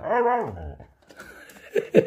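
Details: Siberian Husky "talking" indoors, taught playfully to repeat its owner's words for a treat: a drawn-out, harmonic, howl-like vocal that bends up then slides down, followed by quieter speech-like sounds and two short yelps.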